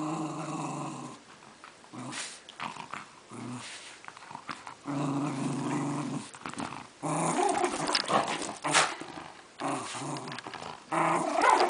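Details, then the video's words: Female Welsh Terrier Reilly violently but gently attacking her toy lion; repeated throaty growls with banded harmonics come in uneven bursts, mixed with rustling and snapping of the toy in a small room. "Welsh Terrier Dog Reilly Attacks Lion"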